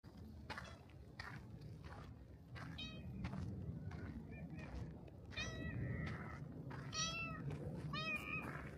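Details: Black cat at a shrine coming out to greet at the torii gate; several short meows with rising-falling tone at irregular intervals over steady low outdoor rumble and faint background voices.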